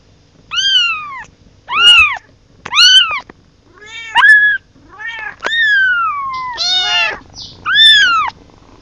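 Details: Kitten calling for its mother: eight loud, high, clear meows in quick succession, most arching up then down, one long call sliding steadily downward, separated by short silent gaps against a quiet background.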